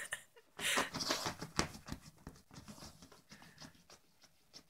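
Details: Yorkshire terrier Ronnie, a pet playing in his doggy bed with a pillow; a harsh, breathy snorting burst near the start, then a string of fast, softer snuffling puffs fading out, with rustling of bedding.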